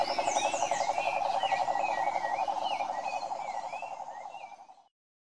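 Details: A chorus of cane toads (Rhinella marina) filmed in Curitiba, Brazil, keeps up a dense, rapid pulsing croak, with thin bird whistles overhead.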